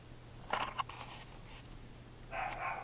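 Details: Lap dogs barking: a quick burst of two or three high, sharp barks, then after a pause a longer whining yelp, recorded in a small room with a low background hum.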